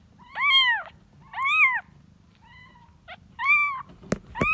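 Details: Kitten looking for its mother: loud, arched meows about once a second, with one softer cry in between, then a couple of sharp knocks and a final rising mew.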